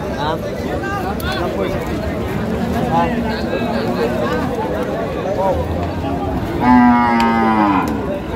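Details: Cows at a livestock market in Madaripur, Bangladesh, on 25 May 2025, where a farmer buys cows fit for Qurbani. After crowd chatter and bargaining voices, one low, drawn-out moo with stacked harmonics rises and falls over about a second.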